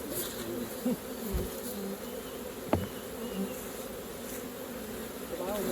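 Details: Bees humming continuously as a hive is opened for honey extraction, a dense even drone broken by a few soft knocks and one sharp tap midway.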